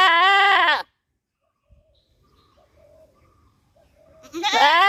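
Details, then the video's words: Village goat giving a loud, harmonic bleat that falls at the end, then a quiet gap with faint distant calls, before another rising scream-like bleat starts. "Goat Sounds, Goat Baa Baa At Village | Goat Screaming Loudly"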